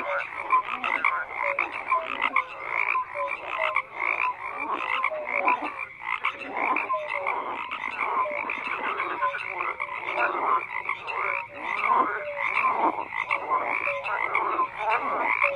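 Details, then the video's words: Dense frog chorus with croaks overlapping in rough pulsed bursts, plus scattered short clear notes, sustained without gaps. "FROGS CROAKING"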